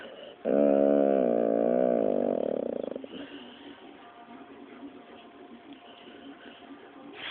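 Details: Pet Pit Bull Dropsik, scolded as a bad dog, gives a two-and-a-half-second warbling moan that bends slightly downward, then falls quiet apart from faint room noise.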